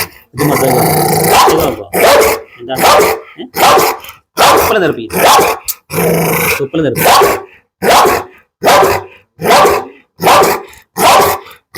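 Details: Barking Pit Bull during a dog challenge: one long growling bark opens, then steady, evenly spaced harsh barks follow at a little over one per second.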